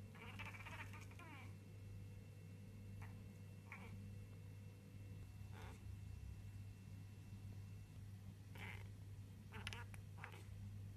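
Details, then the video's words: Pet cat chattering while watching pigeons in a garden: a rapid clicky burst of stuttering chirps near the start, then short scattered chirps at irregular intervals over a steady low hum. "Crazy cat makes hilarious sounds while birdwatching"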